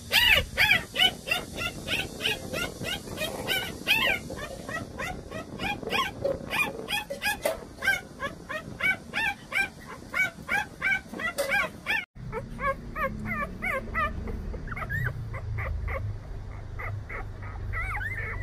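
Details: Jindo puppy brothers, about 187 days into their growth diary and eager for the outside world, give rapid, repeated high yips and whimpers with sharp bark-like bursts throughout.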